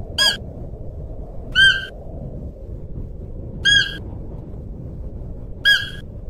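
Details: Calling Siberian musk deer gives four short, bright, harmonic calls at uneven gaps of about one and a half to two seconds, each clipped and steady in pitch, over faint low background rumble.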